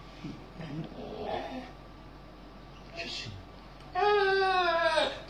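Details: RAS, a pet dog lying in an odd position and seemingly complaining, gives a sustained, wavering, high whining cry in the final second, after people talk in Greek.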